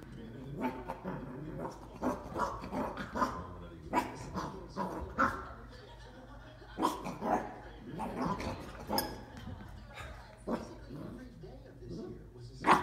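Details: A Dachshund puppy gives sharp, repeated barks at a bowl, with human voices talking in the background.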